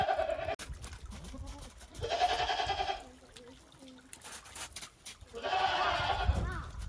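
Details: On a handmade goat farm in Japan after a heavy December 2023 snowfall, goats venture warily across the snow, giving three long nasal bleats spaced about three seconds apart, with clicks and rustling between them.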